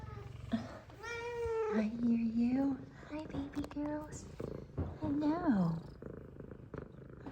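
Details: F2 Savannah cats happy to see their owner, a female meowing up a storm as another purrs. Long wavering meows, some rising then dropping, follow one another closely over a faint purr, with the owner's voice between.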